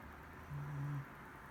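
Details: Mari-chan, a Shiba Inu, snoring while asleep: one low, steady droning breath of about half a second in a quiet indoor room.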